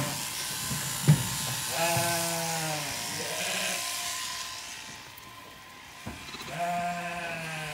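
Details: Zwartbles lambs on a regenerative farm in County Kilkenny, Ireland, bleating because they do not recognise their freshly shorn mother. Two harmonic, wavering bleats stand out over a steady background hum and faint noise.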